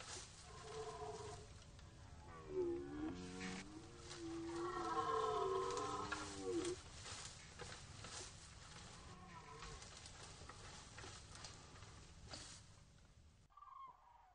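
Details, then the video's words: Archival red deer rut recording from the Orzysz training ground: one drawn-out groaning roar in the middle, wavering in pitch, surrounded by steady broadband hiss and crackling background noise, with a fainter call later. "Archiwalne rykowisko na poligonie Orzysz"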